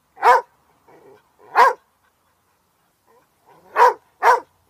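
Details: Border Collie. A Border Collie gives four loud, abrupt barks, the first two spaced apart and the last two in quick succession. Softer muffled sounds fill the gaps between barks.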